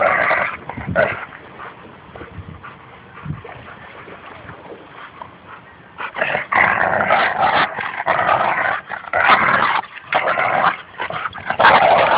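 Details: At Fernandina Beach Dog Park, a Bouvier des Flandres named Espy and a Labrador Retriever named Goose tug at a toy, with Goose trash talking. Six seconds of low, quiet grumbles give way to loud, raspy, sustained growls.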